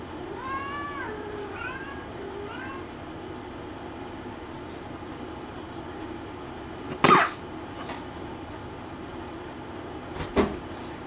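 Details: A Munchkin cat, being pestered by another cat, gives a quick run of soft, rising-and-falling meows, followed later by two sharp thumps.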